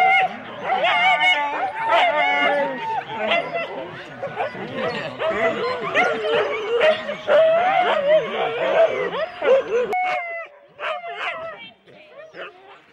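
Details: Four-dog Husky teams at the complete start in Rendlesham, January 2016, many dogs barking and yelping in a frantic chorus that cuts off abruptly, leaving a few sharp isolated barks.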